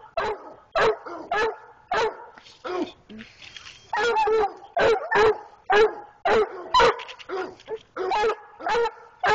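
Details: A dog of six months barks repeatedly and excitedly, a steady run of short, sharp, harsh barks, some in close pairs, with only brief pauses between them.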